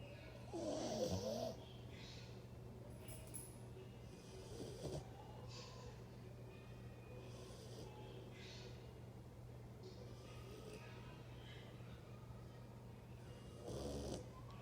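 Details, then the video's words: A sleeping dog snores in a few loud, raspy bursts spread across the recording, with long quiet pauses between them and a constant low hum underneath. "Dog roncando"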